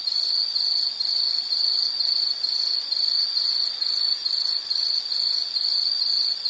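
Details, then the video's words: Loud insect trill from a nature relaxation recording, a bright high buzz pulsing rhythmically a little over twice a second, steady in pitch throughout, with faint overtones and no other sounds. "Nature Sound of nature sounds scenery L · insect"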